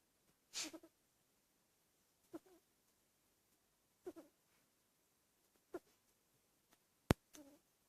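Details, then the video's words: A sleeping Dachshund puppy snores quietly, giving brief snorting breaths at a steady rhythm of about one every 1.7 seconds, with a sharper click near the end and silence between breaths. "Dachshund Puppy snores"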